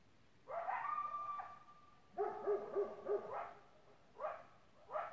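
A Great Pyrenees barks in a run of short, harmonic woofs, mixed with higher yipping and howling calls.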